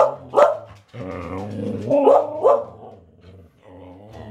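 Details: Samoyeds howling along as a birthday greeting indoors, a wavering, sliding woo-woo with rising and falling pitch bends, several voices overlapping in bursts with a short gap near the first second.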